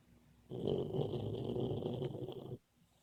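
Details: Sleeping Boxer puppy dreaming while it snores: one long rough, vibrating breath of about two seconds, low and buzzy with a faint high whistle riding on top, then sudden quiet.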